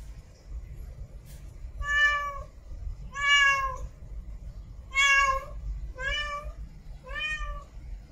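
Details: Female cat in heat mate calling with five short harmonic meows in quick succession, each about half a second long and level to slightly falling, against quiet low-frequency background noise.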